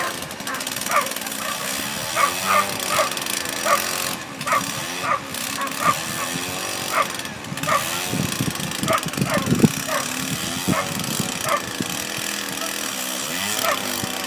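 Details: Ibizan Hounds at the Tampere International coursing event, Nordic championships, 14 July 2013: sharp barks repeated roughly once a second over a steady engine-like drone, with crowd murmur and bursts of louder noise in the background.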